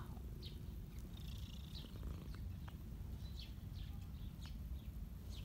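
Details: Caramella, a ginger street cat, purring while snowflakes fall: a steady, low, pulsing rumble fills the clip, with scattered short high chirps of birds in the background.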